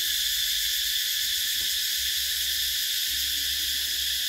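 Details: Cicadas drone in a steady, high, hissing buzz that never lets up, chirping in summer.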